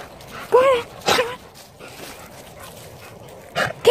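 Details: Puppies calling: short high yelping yips, one rising-falling whine near the start, another around one second, and two more near the end, with low room noise between.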